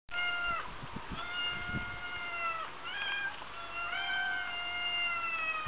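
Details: Two domestic cats meowing, long drawn-out harmonic meows with steady tones, some sliding down at the end, several overlapping calls in succession over a low background rumble.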